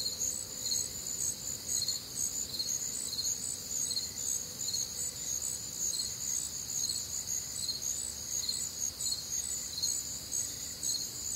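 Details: Midwestern crickets singing through a warm, humid summer night, with a continuous shrill trill overhead and evenly spaced chirps about two per second, alongside other nocturnal insects and a soft low drone.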